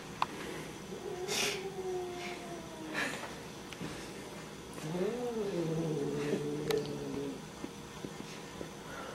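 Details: A domestic cat named Chubs, stuck on a blanket indoors, gives a low drawn-out growl with rising and falling moaning tones around the middle of the recording, over faint background music and household noise.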